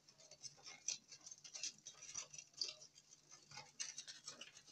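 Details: Longhorn beetles at night, a dense run of thin, rasping ticks high in pitch, roughly one burst every second or two, irregular in timing, over a faint low hum.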